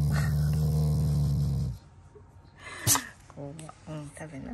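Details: A Shiba Inu, a loving family pet, growls not in anger but as its own way of showing affection to its owners. A low, steady, buzzy rumble lasts nearly two seconds, then a woman speaks Japanese with soft household noises.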